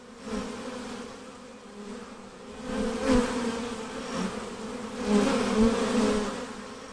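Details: Swarm of honey bees during hiving, a continuous humming drone rising and falling in loudness, with two stronger close passes near the end and a faint high hiss above.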